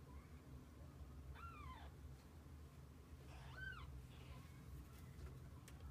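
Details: Kittens and their mother cat together for the day; two clear, arched meows, the second stronger, spaced about two seconds apart, with a faint low hum underneath.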